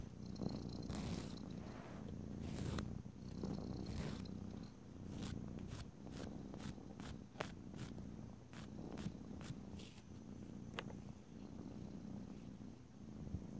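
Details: Domestic cat purring steadily while having its nails filed, a continuous low rumbling throb with soft crackles and sharp clicks of the nail file throughout.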